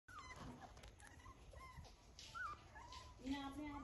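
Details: A Rottweiler puppy whines with thin, high, wavering whimpers, some rising and falling, repeated irregularly over a few seconds, against a low background hum and faint human speech.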